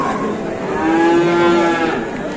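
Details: Sustained single moo from large cattle at an Indonesian market, level in pitch and held for about a second, set against a continuous crowd hum.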